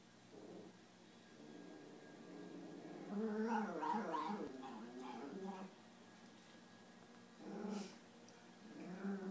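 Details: Italian Greyhound; bark; guarding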